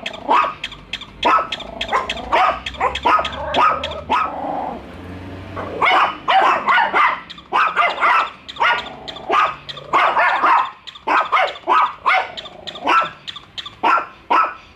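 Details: Bico and Faith, two pet dogs, keep barking at a toy dog during their first meeting; dense, rapid barking throughout with overlapping voices and a short lower whine near the start.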